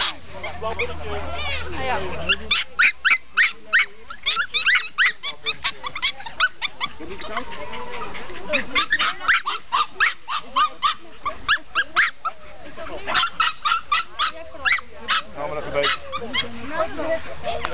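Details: Group of Norfolk Terriers waiting at the start of a club racing day in 2008 at Duindigt, Wassenaar, Netherlands, yipping and barking in fast excited bursts, some whimpers, with crowd voices throughout.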